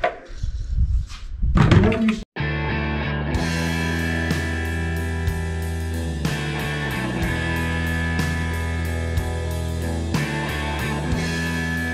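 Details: Rock music with guitar and a steady beat fills nearly the whole segment after a short opening of speech and handling noise, during the freeing of a Western Diamondback Rattlesnake from a rodent trap; no rattling is heard.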